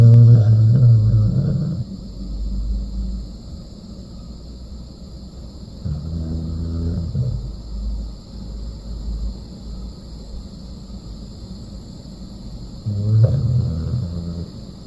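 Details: Sleeping dog snoring (댕댕이, Korean slang for doggy): deep, rumbling, harmonic snores about two seconds long, recurring roughly every six seconds, with a faint steady hum in the quiet gaps between breaths.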